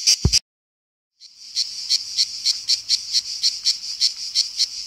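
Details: After a brief click and a pause, a cicada starts its summer song, a continuous shrill, high buzzing drone. It pulses about four times a second and holds steady to the end.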